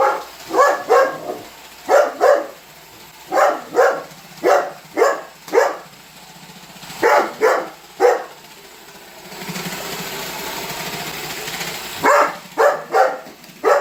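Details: Holder, a Weimaraner dog, barking at a running Roomba robot vacuum: sharp, loud barks in quick bursts of two to four, with a pause at about nine to twelve seconds where the vacuum's whirring hum fills in.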